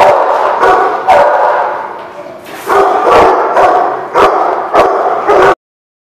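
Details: Dog barking loudly: a run of harsh, drawn-out barks, each about half a second to a second long, separated by short gaps and ending abruptly.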